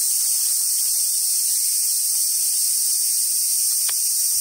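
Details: Cicada chorus in summer at Awajishima Monkey Center, Sumoto, Hyogo Prefecture, Japan: an unbroken, shrill, even buzz holds for the whole stretch, with one short sharp click near the end.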